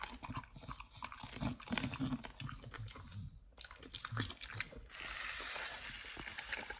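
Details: Raw whole Thai duck being eaten by nomyen, a Pit Bull trying it for the first time; dense crunching and low thudding bites, a brief pause, then a steady hiss behind continued chewing.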